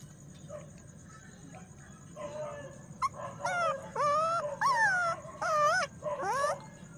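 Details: Puppy giving a run of high whimpers and yelps, tonal cries rising and falling, several in quick succession over a few seconds, with a steady low hum and faint hiss behind.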